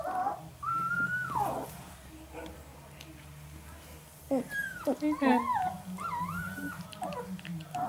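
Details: Northern Inuit puppies, three males 11 days old, make long whistled whines holding a steady pitch before dropping, then a cluster of quick wavering squeals; a person murmurs alongside.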